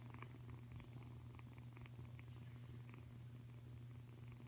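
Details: Five-week-old F1 hybrid Savannah cat kitten purring close up, a steady low rumbling drone that holds without breaks, with faint soft clicks above it.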